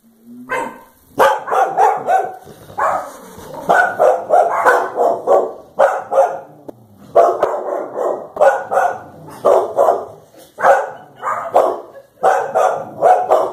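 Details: Clumber Spaniels Blanche and Daisy confront a cow with almost continuous barking, sharp barks tumbling in quick clusters with brief gaps, the pace rarely slackening across the whole stretch.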